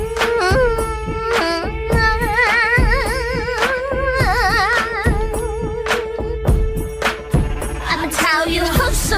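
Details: Bollywood-style song with a wavering sung melody over steady percussion and drone; no animal sounds are present.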